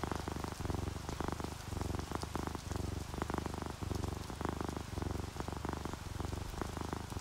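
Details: Relaxed domestic cat purring while an orange tabby and a calico sleep, with rain falling outside a window: a low rumbling purr in pulsed breaths roughly once a second, short gaps between, over steady hissing rain and dripping.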